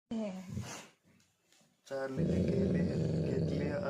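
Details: An angry Labrador Retriever gives a short harmonic whine-growl, then a long rumbling growl while a voice speaks.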